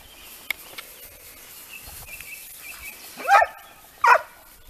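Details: Italian hounds (Segugio Italiano) in hare-training: two loud, harmonic baying cries about a second apart near the end, after faint scattered sounds and a thin high tone in a quiet outdoor setting.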